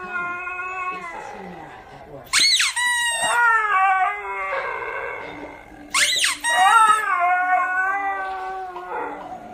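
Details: A Siberian Husky, displeased with his squeaker toy, howls in long, wavering, harmonic tones after each sharp squeak as if to get the last word.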